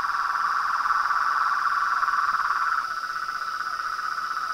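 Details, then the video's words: At a reservoir pond by a house at dusk, frogs, toads and tree frogs keep up a dense, even mid-pitched trilling that eases slightly after about three seconds, layered over a steady shrill background tone. "A SINFONIA DOS SAPOS, RÃS E PERERECAS"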